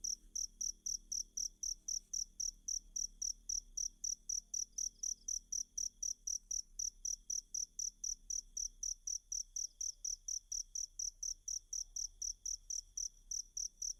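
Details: Shrill cricket chirping used to tutor Kacer (magpie-robin) birds: a continuous run of rapid high pulses, about four each second, steady for the whole stretch, over a faint constant hum.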